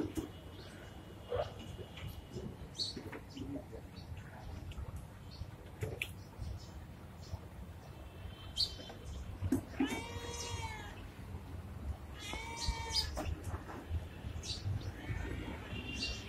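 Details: Pregnant street cat in India, described as friendly, giving a few arched, wavering meows around the middle, over constant low background rumble with scattered clicks and faint voices.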